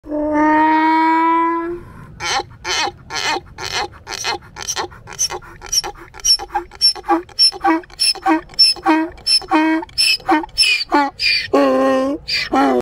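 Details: Donkey giving a loud 'laughing' bray: a long, steady tonal note held about two seconds, then a rapid run of harsh, pulsed honks about three per second, ending in a brief drawn-out wheeze.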